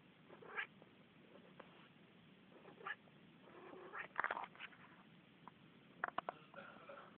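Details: Chatty Manx cat with plenty to say: quick strings of short meows and chirping calls, growing denser and louder toward the end, some clipped and stacked closely together, over a low indoor hum.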